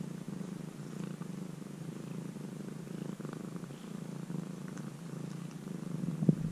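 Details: Continuous low, even purring from a formerly stray kitten now tamed and living nearly as a house cat, captured at very close range. A few soft rustles sound near the end.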